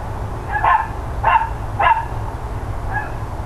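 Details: Loud barking from the neighbours' dogs, mid-morning on 13 October 2012. Three quick, evenly spaced barks arrive about half a second apart, then a softer fourth follows, all over a constant low hum.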